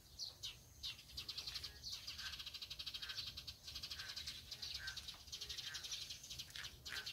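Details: Boreal digging frog (Kaloula borealis), call.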